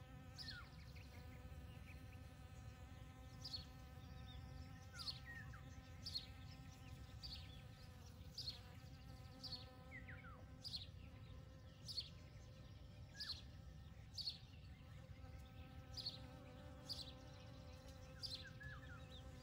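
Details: Honey bees foraging on a field of poppies on a morning of 29 May 2022, nearly every flower holding a bee; a steady low humming buzz runs throughout, with short bright bird chirps repeated every second or two above it.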